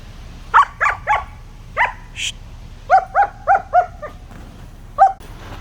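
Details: Young German Shepherd puppy in Pakistan, excited while playing with sticks: three high yelps, a pause, a single yelp, then a run of four sharp barks and one last yelp, with a brief hiss between.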